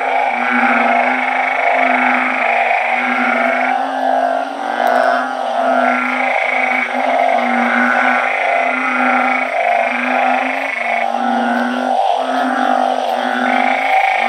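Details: Night chorus of many blunt-headed burrowing frogs kept in a backyard garden. Overlapping low, buzzy moans swell and pulse in a steady rhythm of roughly one per second, with the voices blending into a continuous hum.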